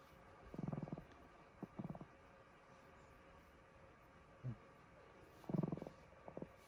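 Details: Kohaku the Chihuahua, deeply asleep late at night, gives loud, low, rattling snores: pulsed, grating bursts that come in bunches, with a short snort between them in a quiet room.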